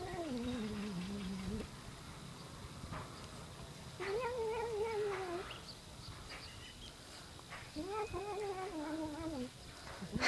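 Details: Cat making funny noises: three drawn-out, wavering yowls, each lasting one to two seconds with a falling or arching pitch, separated by quieter pauses with faint background noise.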